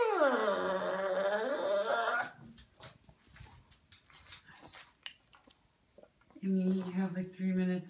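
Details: Immi, a pug soaking in medicated Malaseb shampoo for skin allergies, voices her anger at waiting while wet. A loud two-second whine arcs upward and falls away, followed by quiet shuffling, then a woman's voice speaking to her.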